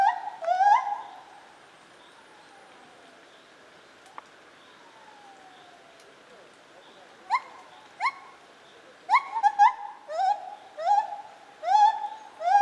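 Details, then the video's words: Lar gibbon, also called white-handed gibbon, at Zoo Opole in 2015: loud whooping hoots around a clear steady tone, a long sliding falling note midway, then a quickening run of short rising whoops with rich overtones. "Lar Gibbon - Gibon Białoręki"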